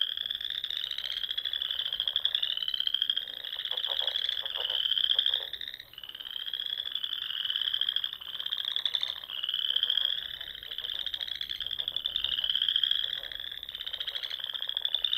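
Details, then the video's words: Nebraska Sandhills frogs singing on a spring evening by small lakes and ponds: continuous layered high trilling in repeated rising swells, joined by a spell of lower, rapid clicking pulses near the start. "RELAXING SOUNDS OF FROGS"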